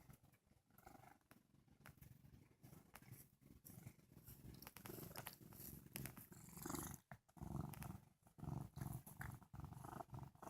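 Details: Sage, a male house cat who has just woken up, purring sleepily: a steady low rumble that swells and fades with each breath, growing louder and rougher in the second half, with faint rustling nearby.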